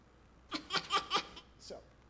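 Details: A domesticated fox from the Siberian fox-domestication experiment gives a breathy, laugh-like series of quick huffing pulses, much like human chuckling, a sound that domesticated foxes make but wild or aggressive foxes do not.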